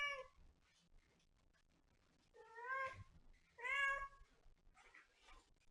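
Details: Cat meowing three times: a short opening mew, then two longer, clear meows that rise and fall, spaced about a second apart with quiet gaps and faint background rustle.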